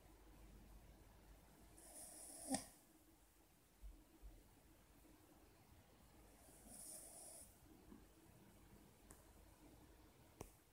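A Cavalier King Charles Spaniel snores softly, with breathy, hissing rasps roughly every four to five seconds.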